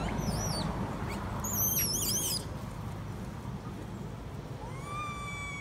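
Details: Young female monkey crying loudly as she implores her mother to nurse her: shrill zigzagging squeals in quick bursts, a pause, then a thin rising whine that levels off, set against a low continuous rumble.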